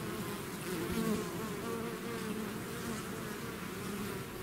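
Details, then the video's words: A bee swarm leaving its hive: continuous thick humming, several overlapping low tones wavering slightly, loudness rising briefly around the middle of the stretch. "bees therapy swarm natural buzzing sound"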